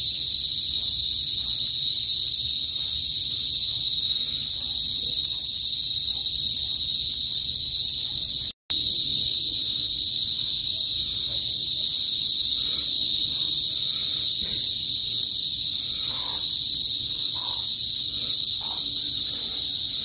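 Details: Cicadas, called kuliglig, in a province in the north of the Philippines before sunset; a sustained piercing electric-like drone, interrupted by a brief cut midway, then continuing unchanged.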